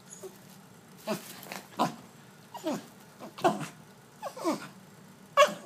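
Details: Pembroke Welsh Corgi making a series of short, separate vocal bursts, each rising then falling like a brief whine or grumble, spaced roughly every second over a quiet background.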